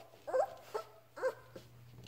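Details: Labrador Retriever puppy Ripley playing with its mother Halia indoors while learning to walk: short high whiny yelps and whimpers, two main bursts about a second apart with softer squeaks between, over a steady low hum.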